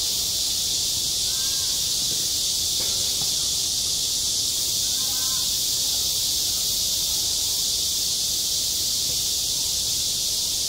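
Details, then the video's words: Cicadas singing in midsummer over a school playground: a steady, unbroken high-pitched hissing drone that holds at one level throughout, with only faint murmurs beneath it. "한 여름 운동장에서 매미가 울고 있다 - 여름의 소리, 학교 종소리, 매미 울음소리"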